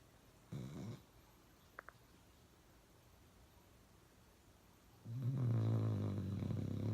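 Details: Uno the pet dog snoring loudly indoors: a brief snort near the start, a long quiet pause with a faint click, then a loud, low, rumbling snore building at the end.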